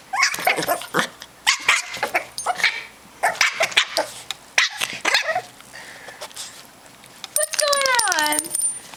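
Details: Rat terrier puppy May at play with Ginger, giving rapid squeaky yips and growly barks in bunches, ending in a long drawn-out falling whine with a faint high whistle above it.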